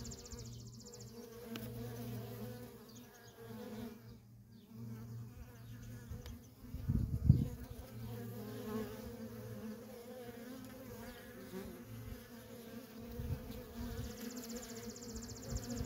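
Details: Worker honey bees streaming in and out of a feral colony: a steady low droning hum with stacked tones, individual bees swelling past, and one sharp louder buzz near the middle.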